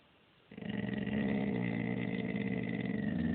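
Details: Lilly, a pet dog, keeps up a sustained low, throaty grumble, her displeasure at passers-by. A rich harmonic drone holds steady with a faint pulsing texture, and no gaps appear for about three seconds.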